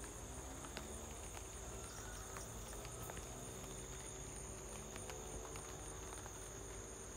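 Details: High, even cricket trilling heard at home amid light rain, a constant shrill tone with occasional sharp raindrop clicks and a gentle low-frequency hum beneath.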